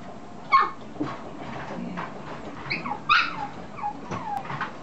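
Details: Male red Toy Poodle puppy, 53 days old, born 1 July 2014, filmed 23 August in Chiba, Japan; a few short, high whimpering yelps, some sliding downward, scattered over quiet background rustle.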